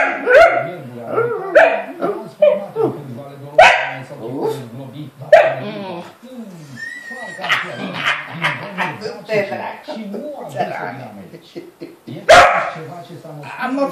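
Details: A Romanian dachshund (Teckel) responds to a man talking to it with short yips, whines and barks in a rising, talkative pattern, mixed with human speech.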